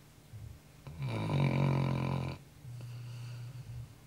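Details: Sleeping Labrador Retriever, a household pet exhausted at night from running a lot, gives one loud, grating snore lasting over a second, followed by a quieter, lower drawn-out breath in a small indoor room.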